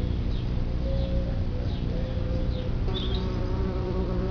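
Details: Bumblebees at a nest in the ground, a colony of perhaps 50 to 200 placid social bees: a steady low droning hum fills the recording, with faint higher tonal streaks and no voices.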